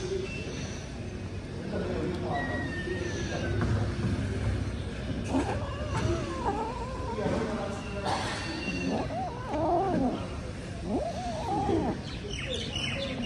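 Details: Cat eating whole wheat bread, giving several wavering meows and rising-falling cries between chewing and rustling, with a low steady hum and brief human speech in the background.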